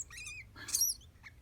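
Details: Pet degu named Shiro, said to reply when called by name, gives a short high wavering chirp followed by a sharp squeak and a brief faint peep, indoors over a low steady hum.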